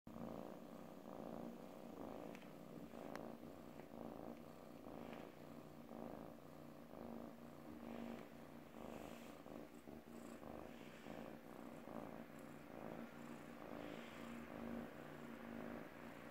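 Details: An F1 Savannah cat purrs steadily, a low rumbling drone pulsing with each breath.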